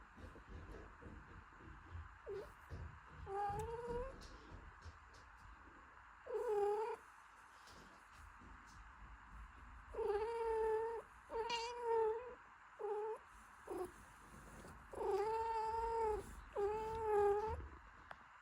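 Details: Mother cat caring for her newborn kitten, cleaning and warming it: repeated thin, whining meows that bend up and down in pitch, some short and some drawn out, coming in irregular clusters over soft background noise.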